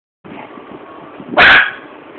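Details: Two normally docile, quiet pet Schnauzers, fascinated on first meeting caged hamsters: one gives a single abrupt, bright, harsh bark under half a second long, with only a faint steady room hum before and after. Schnauzer.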